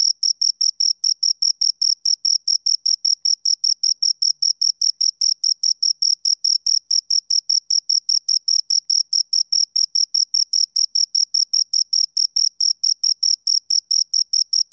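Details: Nonstop rhythmic chirping by two crickets, a dense train of sharp, high pulses close to the microphone; quiet background.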